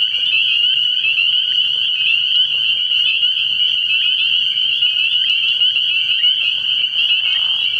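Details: Many spring peepers calling together from a pond after dark early in the year; high, sharp peeps overlap into a constant ringing wall of sound, with faint low rumbling underneath.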